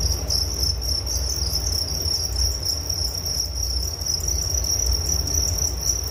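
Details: Crickets chirping as a relaxing nature sound for sleep: a steady high-pitched trill with rapid pulses and a fainter higher band above it, alongside a low rumbling background hum.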